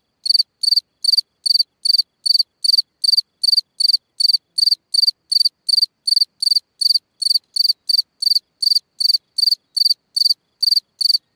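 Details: At night a cricket sings by its hole in the ground, repeating sharp, high, pulsed chirps roughly two and a half times per second without a break, clean and steady throughout.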